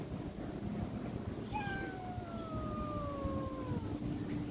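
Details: Cat giving one long, thin, slowly falling meow lasting over two seconds, set against heavy low-pitched background noise.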